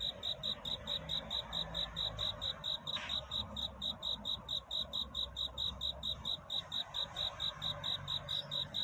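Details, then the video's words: Cricket singing through the night at dawn, a courtship song seeking love: shrill, pure high chirps repeated steadily about four times a second, with one brief knock near the third second over a faint low hum. "귀뚜라미 울음소리. 슬퍼 말아요 우는 것이 아니라 사랑을 찾는 노래랍니다 구애의 밤"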